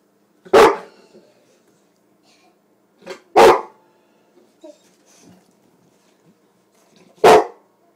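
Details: Bullmastiff female, 14 months old, 90 pounds, barking to ask for a treat; three single, loud, deep barks spaced about three to four seconds apart with quiet pauses between.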